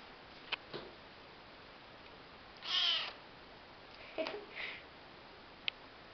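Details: An orange female Maine Coon kitten (father a Maine Coon, mother a tortoiseshell) gives one high, thin meow with a few soft clicks and quieter squeaks around it.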